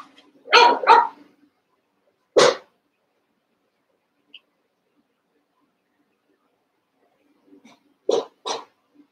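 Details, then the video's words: Young Cavalier King Charles Spaniel puppies, eight sharing a pen, playing and wrestling: a quick pair of sharp barks, then a single bark, a long quiet stretch, and another close pair of barks near the end. "One Month Old Cavalier Puppies Wrestle and Play"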